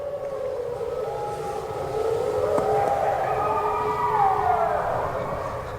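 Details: Mexican and red wolves at the Endangered Wolf Center, Eureka, Missouri, howl together in long, overlapping, sliding tones on a below-freezing, icy full-moon night, unusually noisy that evening.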